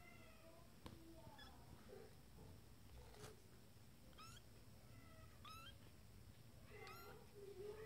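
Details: Abyssinian kittens, twenty days old, from a first litter exploring their playpen; faint high thin mews, several short rising cries scattered through a quiet room.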